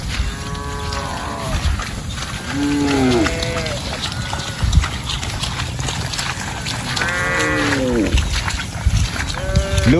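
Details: Cattle grazing and roaming in a rice field; repeated drawn-out moos with rich stacked harmonics, some bending downward at the end, arriving in bursts with short quiet gaps and steady low background rumble.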